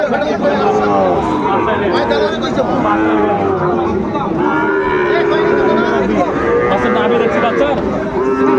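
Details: Sahiwal bull calves being traded at a crowded Cumilla market in Bangladesh on 6 July 2024. Repeated long, rich lowing calls overlap from several animals, set against steady voices and market bustle.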